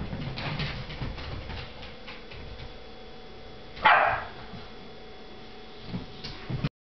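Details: A Boston Terrier puppy at play gives a single sharp, high yip against a quiet, rustling background.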